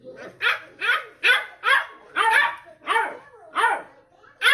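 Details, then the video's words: Beagle puppies barking to each other in a long back-and-forth exchange; sharp, high yelping barks that rise and fall in pitch, about eight in quick succession, nearly two per second, with nothing else clearly heard. "Beagle Barking Sounds | Deep Conversation"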